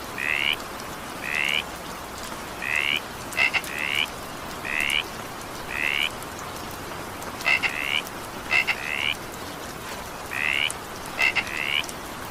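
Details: Frog calls in evening rain: a long series of brief rising trilled notes, roughly one per second, some introduced by double clicks, with rain pattering steadily throughout.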